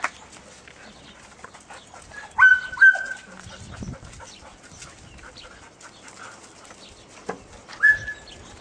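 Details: Dog named Toro playing with his friends at Puppies Park: short high whining yelps, two close together near the start and another some five seconds later, over faint background rustle.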